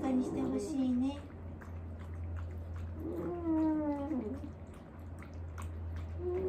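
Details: Morning moaning from Wanta, an aged dog being cared for indoors, who cries and flails his legs when awake; short whimpering moans open the clip, then a sustained, slowly falling groan, over a constant low electrical hum.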